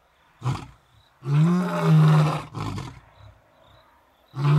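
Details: Deep lion roaring from two adult male brothers in Africa, asserting leadership over the area: a brief grunt, then a long, heavy, sustained low roar, another short grunt, and a fresh roar starting at the end.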